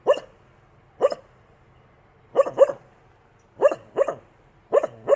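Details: Dog barking: loud, abrupt barks come singly or in quick pairs, about eight in five seconds, separated by short silent gaps. The background is clean, with no other sounds.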